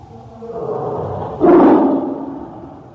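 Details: A single tiger roar swells out of a low, steady rumble halfway through, bursting loud and rough, then fading back into a droning background.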